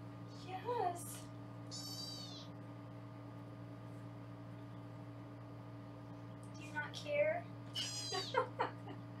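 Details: Foster kittens in a Los Angeles room meowing as they are weighed: a short high mew early on, then a cluster of thin, wavering cries near the end, separated by quiet stretches over a constant low hum.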